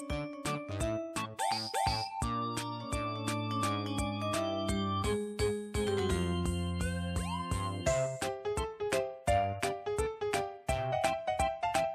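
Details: Bright, jingly synthesizer music in a playful children's style plays, with no animal voice present.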